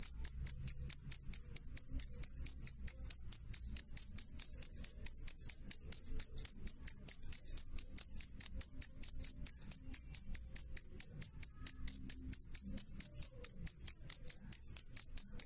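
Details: A cricket calls loudly and clearly, its piercing high chirps pulsing in a fast even rhythm of about two per second with no pause, over near silence.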